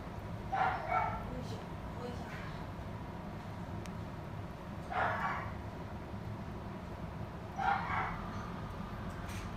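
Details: Male red Shiba Inu puppy born 13 November 2017, kept in a pet shop; three short, sharp yips spaced a few seconds apart over a steady low background hum.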